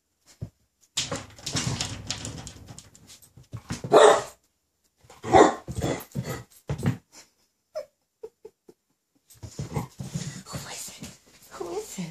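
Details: Ten-week-old Rhodesian Ridgeback puppy Regan reacting to herself in a mirror indoors: a few loud barks and yips mixed with scrabbling paws, brief whimper-like squeaks, and rustling floor noise in between.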